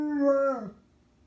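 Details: Anatolian Shepherd dog giving a short howl, a steady tonal note that bends downward and fades out within a second.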